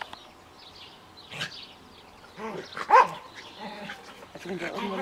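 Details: Max, an Australian Terrier, romping in a garden with his Münsterländer friend Wilson; short harmonic yelps and growly play sounds come in bursts, with a sharp louder bark near the middle and human speech nearby.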